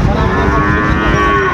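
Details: Sahiwal bull calves shown in a Jessore farmer's newly collected lot of 24 on 12 September 2025. One steady, tonal moo holds its pitch for over a second against background voices.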